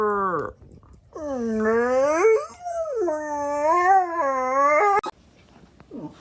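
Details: Dog in a funny pet compilation gives long, drawn-out howling wails, a first short falling cry, then sustained wavering tones that rise and dip for about four seconds, ending in a sharp click and brief faint whine.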